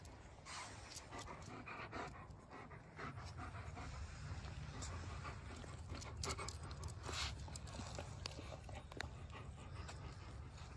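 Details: Odin, a German Shepherd, pants during a visit to Maggie, a neighbour's dog: quick, soft, breathy bursts repeat through the clip over a steady low rumble, with occasional sharp clicks and brief human voices.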